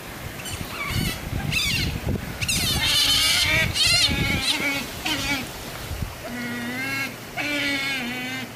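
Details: Eurasian, Asian small-clawed and African clawless otters at Noichi Zoo, 17 December 2014, restless just before feeding, chatter in shrill, squeaky chirps and whistles, rising and falling in quick overlapping bursts, with splashing and murmuring voices underneath.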